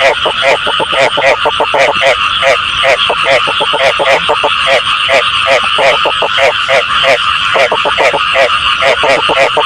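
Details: Frog calling meant to draw frogs in for catching: dense, loud series of quick pulsed croaks in short rattling bursts, repeated steadily almost without gaps, against a continuous buzzing background.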